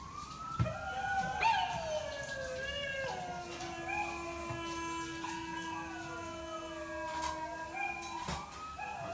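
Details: Samoyed howling indoors, a long sustained wavering tone that slides downward and holds steady for several seconds, with higher overtones and a second voice joining above; soft background noise and faint clicks.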